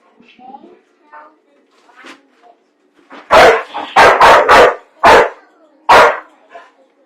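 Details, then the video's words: Dog that hates popcorn, quiet murmuring at first, then a sudden burst of six loud sharp barks in quick succession indoors. "Dog Hates PopCorn"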